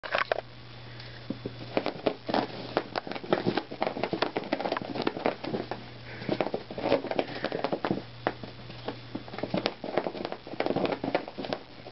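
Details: Indoor crackling, tapping and rustling handling noises over a low steady hum, with no animal vocalizations.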